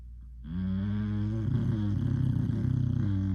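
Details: An English Bulldog snores with a deep, steady, rumbling drone.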